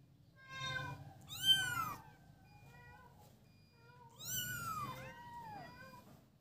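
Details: Kittens playing together give high, harmonic-rich meows: an overlapping cluster of rising-then-falling cries near the start, a quiet gap, then a longer descending meow with several shorter ones layered over it. A low indoor rumble sits underneath.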